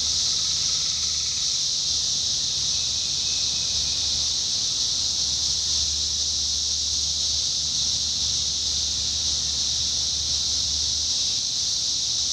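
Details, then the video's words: Indiana's 17-year cicadas singing in summer 2021, an even, sustained high-pitched droning chorus with brief fainter lower whines near the start and a gentle low background rumble underneath. "Sounds of Cicadas Summer 2021: 17-Year Cicada"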